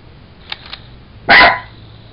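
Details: A Jack Russell Terrier playing with a toy monkey gives a single loud, sharp bark after a moment of quiet, with faint voices before it.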